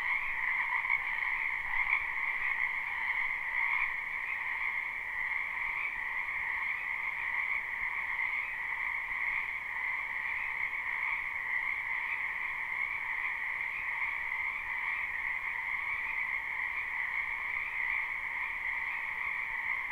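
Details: A live, unlooped recording of croaking frogs in a backyard wetland in spring: a steady, dense chorus of overlapping high trills in two pitch bands that stays constant for the full twenty seconds.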